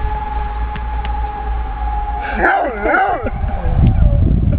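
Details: A dog named Aiso howls along with a siren, practising for the fire brigade; a brief wavering howl rises and falls over a steady siren tone, with low rumbling hum throughout.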